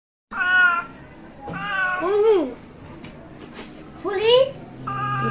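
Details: Injured rescued cat crying loudly; four drawn-out wailing meows, some rising then falling in pitch, one ending in a strained upward bend, with a person's voice faintly near the end.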